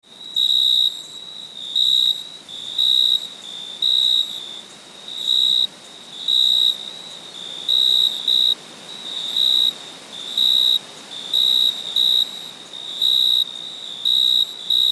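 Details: At night, a cricket gives pure, high chirps in short bursts, repeating about once a second.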